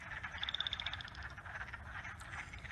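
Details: Wood frogs in Minnesota give hoarse, quacking clucks much like ducks, with a chorus frog trilling faintly behind.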